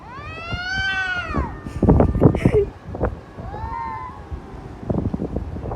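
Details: Domestic cat giving child-like cries: two long arching meows, the first drawn out over about a second, the second shorter and rising then falling, separated by clattering knocks and thumps in a room.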